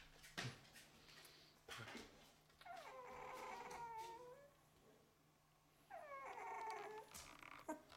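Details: Eleven-day-old Golden Retriever puppies in their litter, indoors: two drawn-out, wavering squealing whimpers, each rising then sagging over about a second and a half, separated by a quiet pause, with a few sharp knocks between.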